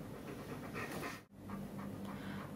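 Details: Pet dog panting during a teeth-brushing demonstration; rapid rhythmic breathy pants with a short break in the middle.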